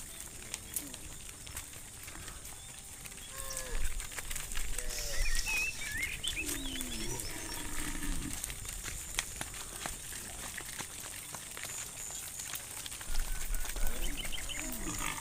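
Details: Cows herded through a muddy rice field toward a livestock pen give several short, falling, harmonic lowing calls scattered across the stretch, mixed with steady crackling outdoor noise and faint high chirps.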